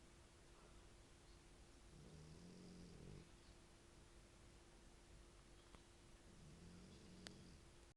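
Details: Italian dog asleep and snoring heavily, with two low grumbling snores of about one second each, spaced roughly four seconds apart, over a quiet room with a constant faint hum.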